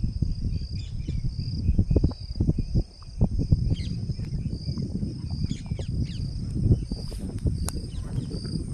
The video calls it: cicada making sound